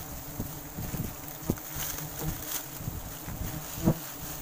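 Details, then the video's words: Swarming wild forest honey bees during a sustainable harvest: a loud, rough droning buzz with sharp tapping sounds and gusts of wind on the microphone. "ಕಾಡಿನ ಜೇನುನೊಣ lebah madu hutan yg banyak di cari orang"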